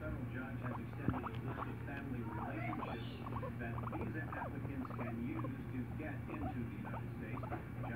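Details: Domestic guinea pig perched on its owner's shoulder, making continuous small chattering squeaks and brief chirps against a constant low hum, with faint rustling.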